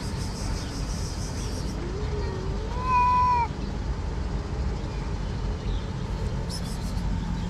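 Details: Hungry cats, one of six gathered inside a garden in Morocco, give a single clear drawn-out meow, level then slightly falling, preceded by a fainter short mew, over a steady low rumbling background.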